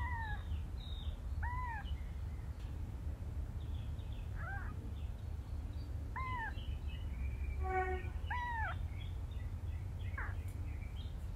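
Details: Domestic cat scene: a mother cat rescuing and carrying her kitten. Short arched meows, rising then falling, come in a loose series about every one to two seconds over a steady low rumble of background noise.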